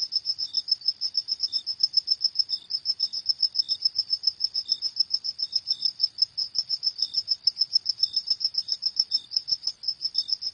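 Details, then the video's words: High, ringing cricket chirps pulse without pause through the night air, steady and rapid, with a second, weaker cricket chiming in at a lower pitch every so often. "Suara Jangkrik di Malam Hari"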